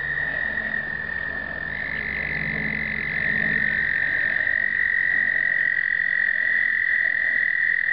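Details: During explosive breeding in 2009, American toads trill in chorus, captured on a pocket Canon camera; a nearer long musical trill swells in partway through over the steady high drone of many others.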